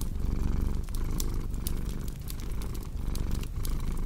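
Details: Low, throaty cat purr pulsing in short breath cycles, a steady vibrating rumble layered with sharp crackles of burning wood from a fireplace.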